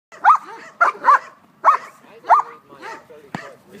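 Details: An 11-month-old puppy during bite work training gives five sharp, tonal barks in quick succession, each with a bent, rising-falling pitch, followed by a sharp crack near the end and a man saying "good boy".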